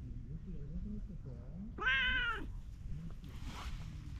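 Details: Orange tabby cat by a pond, happy at being petted: one clear, drawn-out meow lasting about half a second, with low rustling noise and faint murmuring before it.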